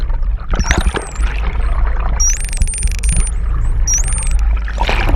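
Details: Hawaiian false killer whales, a friendly mother and calf pair off Oahu, give high, wavering whistles that rise and fall over a low rumble of water, recorded in extreme close-up.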